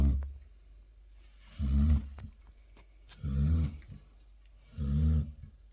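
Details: Labrador Retriever snoring while asleep: three deep, rumbling low snores about every one and a half seconds, each swelling and fading with a harsh breathy edge, quiet pauses between.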